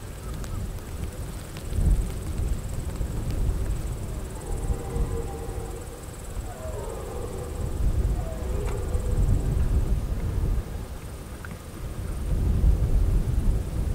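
A red deer stag gives a deep, drawn-out rutting roar over low rumbling wind and faint insect hum.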